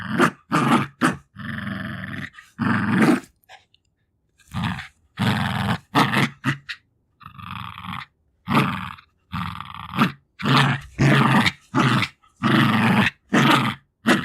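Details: Two-year-old female Jack Russell Terrier growling while fighting for her favourite toys, with breathing, licking and sniffing; rough, low grinding growls in short bursts of one or two seconds, broken by brief silences.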